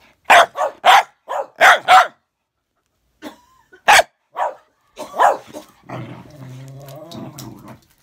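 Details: Bedlington whippet squaring off against a Patterdale, two dogs: a burst of six loud sharp barks, a pause, more barks, then a long low rumbling growl with a snarling edge in the final two seconds.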